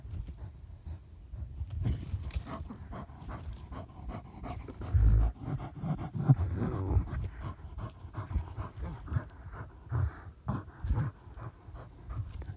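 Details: German Hunting Terrier hunting badger, heavy panting in uneven bursts with low snorting breaths, a few louder thuds and rumbling movement noise beneath.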